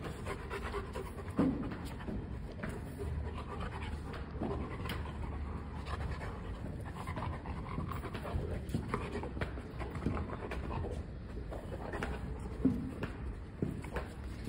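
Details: A pet Rottweiler, in India, pants steadily while sniffing out his hidden ball indoors; quick breathy puffs run throughout, with occasional louder snorts and faint thuds, a steady low hum behind.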